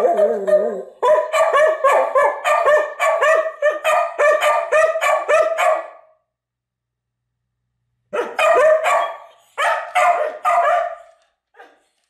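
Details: Pet dogs Atka and Nuka join a playback of their past howling. Rapid choppy yowl-barks repeat about three times a second for five seconds, fall silent, then return in a shorter burst near the end.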